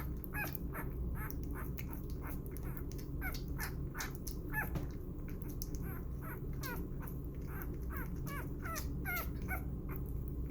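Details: Six-day-old puppy named Burro, being bottle fed and burped, gives a rapid series of short, high squeaks and whimpers, several per second, over a steady low rumble.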